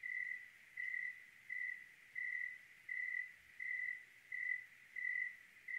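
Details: Oregon cricket calling on a clear night, a regular series of nine pure, level-pitched chirps with short gaps between them, slow and evenly spaced, against a soft, still background with no other clear sounds.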